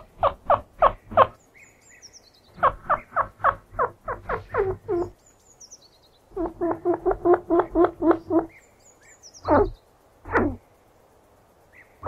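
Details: Chinchilla chirping in quick runs of short, clipped squeaks, six to ten in a burst with brief pauses between runs, ending in two longer squeals that fall in pitch; no other sounds.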